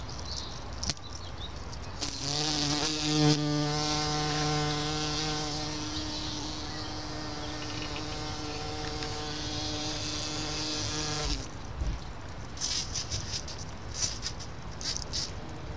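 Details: In a small garden with Solomon's seal on 29 May 2014, a bumblebee gives a steady, low droning buzz that holds for about nine seconds.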